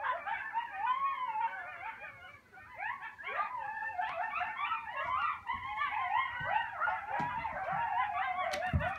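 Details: Several coyotes howling together at sunset on Sullivans Island, South Carolina: overlapping wavering howls and yips sliding up and down, dense chorus throughout, with a few sharp higher yelps near the end.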